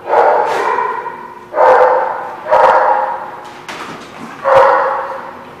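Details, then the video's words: Dog barking on 29 April 2016: five loud, separate barks, each roughly a second apart, every one ringing on and fading in a strong echo before the next. "The Barking Lot"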